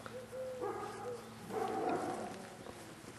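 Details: Staffordshire Bull Terrier puppies from Staff Komas kennel's litter K, 38 days old, 20 September 2010: overlapping, drawn-out, wavering whines, several voices at once, swelling then fading.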